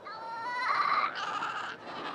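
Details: Seal in a crowded, noisy colony, where mother and pup each have a unique call and must recognise each other to reunite. A clear, bleating, tonal wail holds steady, then turns brighter and harsher before fading.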